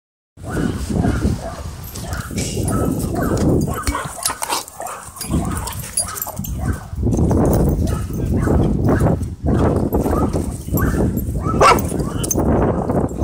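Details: Dogs wrestling and playing together at a dog park, giving low, rough growling and huffing noises in uneven bursts with short pauses, plus scuffling during the tussle.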